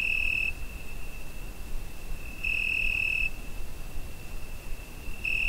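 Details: On a summer night a cricket sings, taken with a Zoom H5: constant high-pitched tone with three louder ringing pulses recurring every couple of seconds, gentle low background noise.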